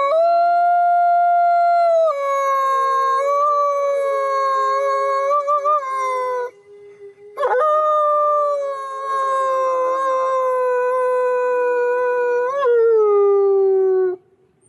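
A wolf gives two long, mournful howls, each holding a steady pitch before sliding slowly downward.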